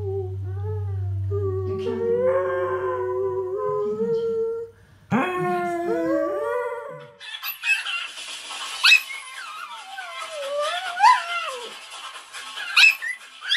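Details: Singing dog from a funny pets compilation; wavering howled notes that rise and fall, broken by a short gap and a higher sliding howl, then noisier broadband sound with whining glides over a low hum.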